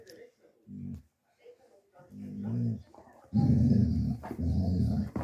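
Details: Dogo Argentino mix, a young male born August 2023, at a foster home in Osnabrück in December 2023, gives short low growls at first, then longer rough rumbling growls in the second half.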